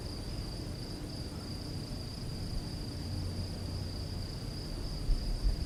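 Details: Nocturnal rural scene of crickets singing: one sustained high, even trill with a faint higher overtone runs the whole time over low background rumble, and soft low knocks close to the end.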